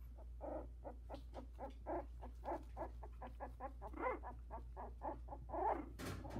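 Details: Four 16-day-old Havanese puppies from CoCo's litter in a whelping box, some barely with eyes open, trying out their legs; a rapid run of harmonic squeaks and whimpers, uneven in rhythm, ending in a louder burst, over a steady low hum.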